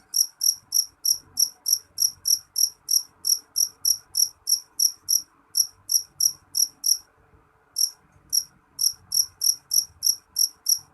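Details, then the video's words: A jeliteng cricket, called loud in its local name, chirps in sharp high pulses about three times a second. One brief pause interrupts the chirping near the end, and faint low background rumble sits beneath it. "Suara jangkrik jeliteng nyaring"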